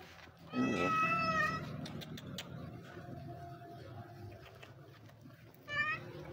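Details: Injured white stray cat with an eye wound, living on the street, being petted; one long, loud, wavering meow near the start and a shorter meow at the end, with quiet rustling between.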